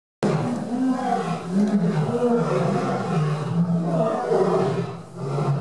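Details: A male lion at Burgers' Zoo roars to show who is boss, a deep, rumbling roar that rolls on steadily with a gravelly, throaty texture.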